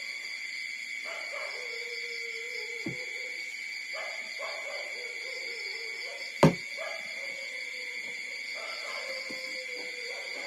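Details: Suckling puppies only four days old make long level whines that slide downward at the end, repeated several times, with a sudden sharp click midway and a persistent high steady hum behind.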